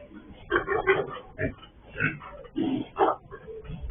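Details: A sow that has escaped again, captured on a surveillance camera on a pig farm: short, throaty grunts in about five separate bursts, each raspy and brief.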